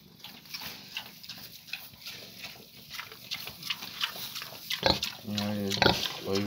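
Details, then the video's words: A 14-day-old piglet gives a run of short grunts and noisy snuffles, then ends with several loud, wavering, harmonic squeals over the last second and a half, with rustling in the background. "14 დღის გოჭი"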